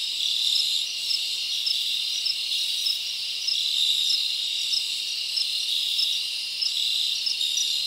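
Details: Crickets chirping in a forest on a summer night: a dense, steady high-pitched trilling chorus of many insects, with faint swells in loudness and no other clear sounds.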